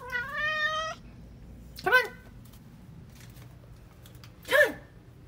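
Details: Pet cat meowing indoors: a long, clear, harmonic meow, followed by two shorter rising-falling mews about two and a half seconds apart, with a quiet room background.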